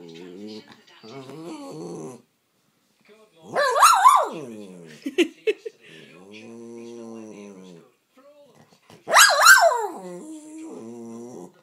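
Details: Female pet Jack Russell terrier telling her owner off, demanding the owner's coffee. Low growly moans alternate with two sharp, high, wavering yelping whines, while a woman speaks to the dog between them.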